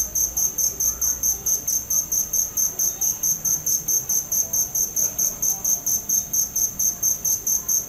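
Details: Continuous shrill cricket chirps, evenly spaced pulses at roughly four to five per second, sharp and high-pitched throughout, over a quiet background.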